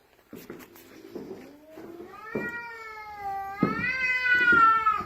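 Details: Indoor cat keeping its owner trapped upstairs on the stairs, starting with soft low chirping murmurs that build into a long, rising, wailing meow held to the end.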